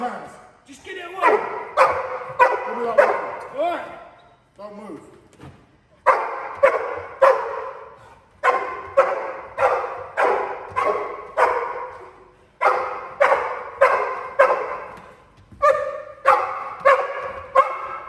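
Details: Cane Corso in protection training during a home invasion drill, barking for criminal containment: deep, harsh barks in rapid bursts roughly every half second, broken by short pauses, with a human voice briefly audible between volleys.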